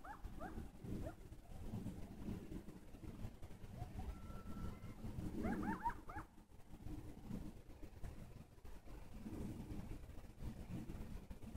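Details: Faint coyote yips slide down in pitch at the start. A brief, flat howl follows, then a tight cluster of excited, quavering yips. Continuous low rumble throughout.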